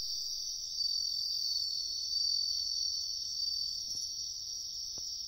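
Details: Riverside woodland at night-like stillness is not stated; wild bell crickets give an unbroken high ringing trill, swelling slightly in loudness, with a few sharp clicks near the end.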